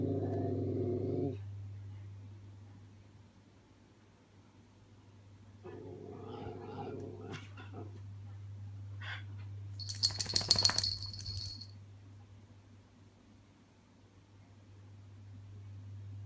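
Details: A baby Miniature Schnauzer, not yet knowing how to growl, practises growling at himself in a mirror: brief rough rumbling bursts separated by pauses over a steady low hum, with a sharp high squeak near the end.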